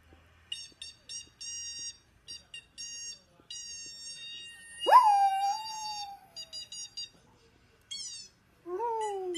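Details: Dachshund, a sausage dog kept as a pet, giving high tonal whines: short repeated steady notes, then a long drawn cry that leaps up and slides down, and a final falling howl-like wail, with brief silent gaps between.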